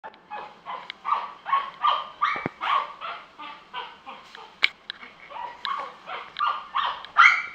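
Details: Puppies at a pet shop in Kanagawa, Japan, barking rapidly and repeatedly, roughly two sharp yaps per second, bright and mid-pitched with uneven spacing and a few louder clicks among them.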